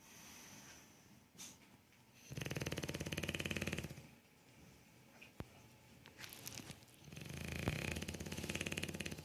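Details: Bulldog snoring: two long stretches of rough, rattling, pulsed breathing, each lasting about two seconds, separated by quieter breaths, with a few faint clicks between.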